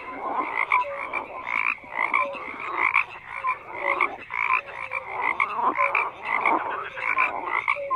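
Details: A loud, crowded frog chorus of pulsing croaks rising and falling in bursts about once a second, with short tonal notes scattered between.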